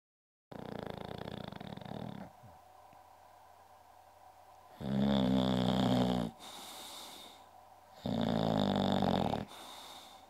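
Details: English bulldog named Goldfinger, also called Uschi, snoring loudly: long rasping, rattling breaths with a low rough buzz, each lasting over a second, separated by quieter wheezy exhales.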